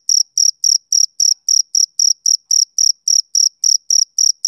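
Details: Steady trill of a male cricket, bright high-pitched chirps evenly spaced at roughly four per second, each a brief buzzy burst, with a silent background.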